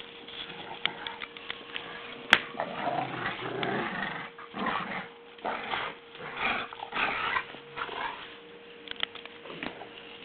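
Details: Two dogs, Daisy and Lenny, playing tug, Daisy being old: rough, rumbling growls come in uneven bursts throughout, with a sharp knock early on, scuffling and a steady faint hum behind.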